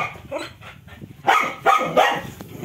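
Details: Dog barking angrily at an injured cobra for a long time in Kotdwara, Pauri Garhwal, Uttarakhand, India, during a snake rescue; a few harsh barks in quick succession over background noise.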